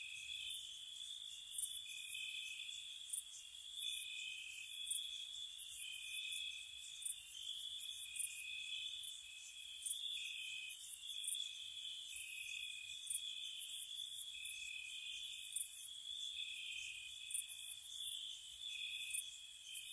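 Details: Gentle crickets on a spring night near a cottage, several insects chirping together: sustained shrill trilling plus frequent crisp chirp bursts repeating throughout, with no other sounds.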